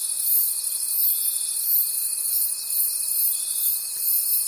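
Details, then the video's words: A forest at night filled with crickets: dense, high, pulsing trills that rise and fall in regular beats, over a constant thin steady tone throughout. "Forest Sounds and Cricket Conversations at Night"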